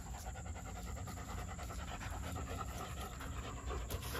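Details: Quick breathy panting by a German Shepherd puppy, short hissing breaths in a tight regular rhythm, layered over a low droning hum.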